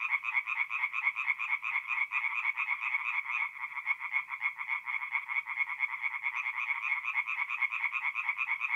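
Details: Chorus of tree frogs singing at night in a forest pond in mid-April in north-east Italy; dense, rapid croaking pulses packed closely together, a continuous rattling wall of calls with no other sounds.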